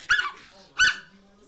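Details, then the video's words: Chihuahua giving two short, sharp high-pitched barks about 0.7 seconds apart, each with bright harmonics, followed by quiet background. "Chihuahua Loco"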